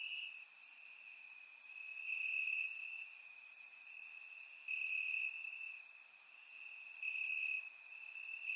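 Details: Crickets chirping in grass on a warm summer night in Bulgaria, captured with a surround microphone: a steady high-pitched trill that swells and fades every second or so, with brief sharper ticks flickering above it.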